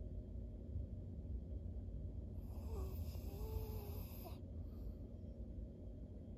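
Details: Maria, a thirteen-year-old fawn female pug, a senior dog kept as a pet in Japan, recorded in October 2023; soft, low rumbling snore-like breathing runs continuously, with a faint higher whine midway through.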